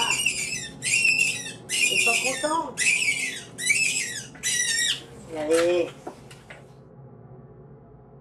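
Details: Farmed Angora rabbit being stripped of its fur with paws bound, uttering a rapid series of seven harsh, high, shrieking cries about once a second, then falling quiet amid faint room noise and talk.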